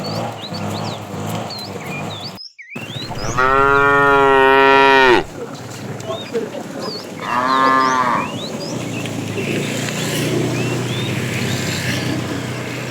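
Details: Fat cow from a tame herd herded in the afternoon, calling the female: two loud harmonic moos, a long flat one lasting about two seconds then a shorter one, over constant chirping birds and a brief break early on.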